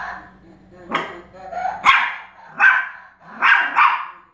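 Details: Pomeranian barking as it reacts to a flashlight playing animal sounds; five short, harsh barks in quick succession, some coming in close pairs, against a quiet background.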